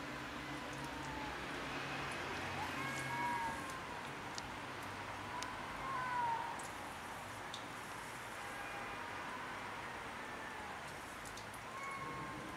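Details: Rooftop territorial quarrel between cats: two short, rising-and-falling whining yowls come a few seconds apart, with a quiet traffic-like rumble underneath.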